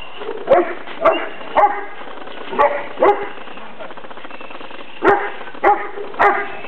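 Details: One-year-old male Rottweiler at a dog trainer in 2010, barking during attack-command training: deep, harsh barks in short pairs and triplets, about eight over seven seconds, with brief gaps between bursts.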